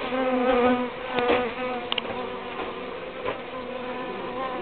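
Uruçu stingless bees hum steadily, a low droning buzz that swells and fades as they fly past.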